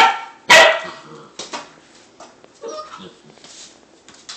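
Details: Young Labrador and hound mix puppy, newly adopted from a humane society, one of a litter of four, gives a sharp single yip-like bark followed by softer whines, with a man's soothing voice nearby.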